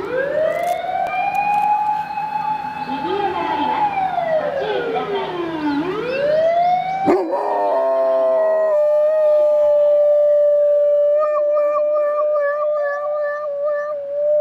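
A Labrador Retriever howls along to a siren, its long voice rising and sliding down in pitch.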